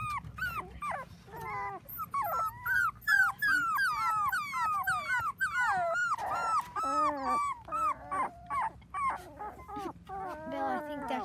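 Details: Seven Dachshund puppies, four weeks old, on a trampoline with children; a dense chorus of short yips and squealing whimpers, many pups overlapping, repeated rapidly in bursts with brief pauses over about eleven seconds.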